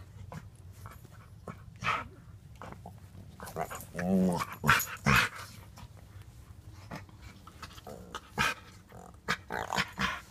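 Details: Two pet dogs, Storm and Bellatrix, a white five-month-old French bulldog puppy and a five-year-old blue nose pitbull, recorded July 2, 2014. Scattered growls, short whimpers and bursts of playful noise, with rustling and thumps between them.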